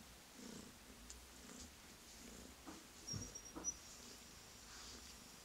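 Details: Rescued male tuxedo kitten purring as soon as he is touched: a soft low rumble pulsing in short regular cycles, with a few faint rustles and handling noises indoors.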